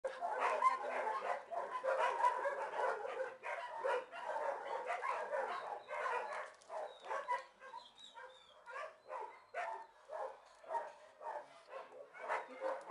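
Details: Dogs at an animal shelter kennel bark in a dense, overlapping chorus: rapid yelping barks about twice a second for the whole stretch, with some higher yips mixed in.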